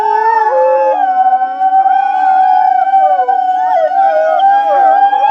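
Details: Group of wolves in a sustained howling chorus, used to rally and bond the pack; multiple long even notes held together while other voices waver, slide and curl around them.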